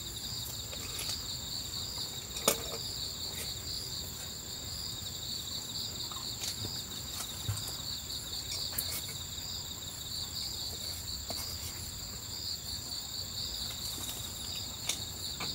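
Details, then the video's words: Crickets chirping at night at a campsite on Ganghwa Island, heard while someone eats dinner; a steady, high, shimmering pulsed chorus runs throughout, with a few sharp clicks and soft tapping sounds. "Tiếng dế ở đây nghe rất hay phải không? Tôi yêu những âm thanh tôi nghe được vào ban đêm khi đến khu cắm trại, tôi vừa ăn vừa nghe tiếng côn trùng"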